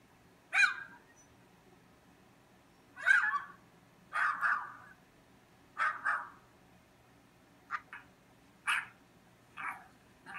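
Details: Barking dog next door: single and doubled sharp barks spaced a second or two apart, some fainter and clipped, in an otherwise quiet indoor setting.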